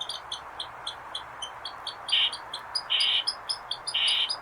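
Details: Eastern squirrel calling: short, high, clipped chips at an uneven pace of about one per second, then three longer buzzy, rasping bursts toward the end over a soft background hiss.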